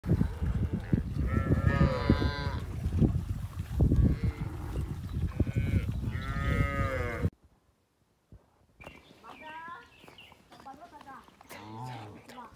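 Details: Village cows in a rural setting give several long, loud, harmonic moos over a heavy low rumble. The moos fall away to near silence, then softer rising and falling calls follow.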